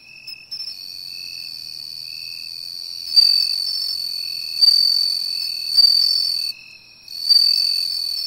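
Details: Bell cricket singing by the sea, tracked down by its sound: a continuous high, bell-like trill rising into louder swells about every one and a half seconds, over a softer, lower insect chirp.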